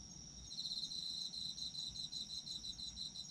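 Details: Autumn insect song for sleep: rapid high pulsed chirping trills over a constant shrill hum, nearly unbroken throughout, with soft low rumble beneath.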